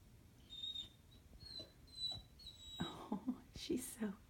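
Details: Female puppy whining because she wants to go outside: thin, high, whistle-like whines in several short bursts over the first seconds, followed by soft human talking.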